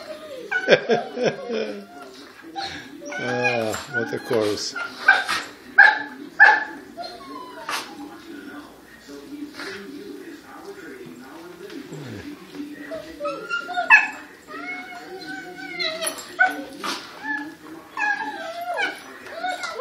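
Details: Group of dogs in a howling chorus, mixing sharp yips and short barks with rising and falling wavering howls, voices overlapping and bursting irregularly with brief quieter gaps.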